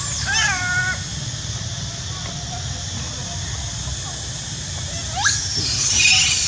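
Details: Screaming monkey giving a piercing wavering shriek at the outset, quiet stretches with faint squeaks, then a second sharp upward-sweeping squeal near the end against steady background rumble.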